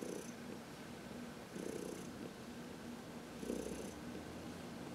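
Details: Heidi, an elderly adopted cat of 14, purrs in contentment under a massage in the sun on March 19, 2021; soft rumbling pulses rise with each breath, three swells in five seconds.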